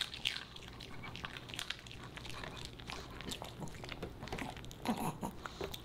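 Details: Indoors, the Pomeranian puppy Boba Bear munches dog-friendly fish and chips: scattered crunchy bites and moist chewing, with a few louder snaps near the end and faint low room hum.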